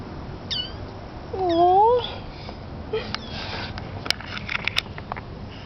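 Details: Kitten recorded August 2011 giving a brief high mew followed by a loud, wavering, rising meow, then a few faint clicks and a person speaking softly.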